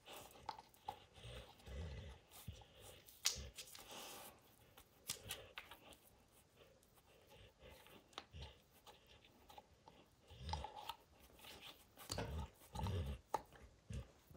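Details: Max, a dog, gnaws a baseball until its hide is destroyed. Repeated muffled thumping bites and rustling leather come in uneven clusters, with louder chomping bursts late on.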